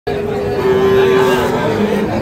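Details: Fattened Sahiwal bull calves at Ambari cattle market, Parbatipur, Dinajpur, Bangladesh, on 11 July 2025: a steady, droning moo held for most of a second over constant crowd chatter.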